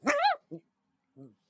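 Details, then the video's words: A dog getting really mad and making strange noises at a wiggling blanket: one harsh, rising-then-falling whining yelp followed by two short, low grunting sounds in an otherwise quiet room. "Johnny getting real mad and making strange noises at a wiggling blanket"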